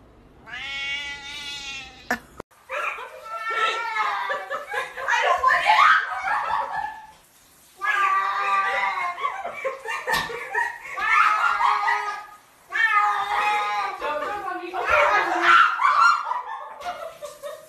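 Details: Domestic cat giving long, drawn-out wavering yowls in three extended bouts, each several seconds long with brief pauses between, preceded by a short high tone; background speech and laughter.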